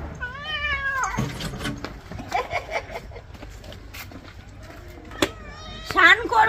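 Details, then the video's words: House cat being bathed gives a wavering, falling meow at the start and a short strained cry near the end, mixed with loud clattering, water and handling noises and people talking in Bengali. "Today our cat made mom very angry while taking a bath"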